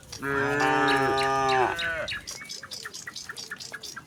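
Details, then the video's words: A herd of tame cattle strolling from the next village toward the pen: one long, steady, low moo lasting nearly two seconds, followed by rapid chirping birds and light rustling. "suara sapi moo"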